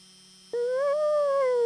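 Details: Friendly wolf in a howling conversation with a person, giving a short, clear, steady howl that swells gently in pitch and loudness, with a low constant hum in the background.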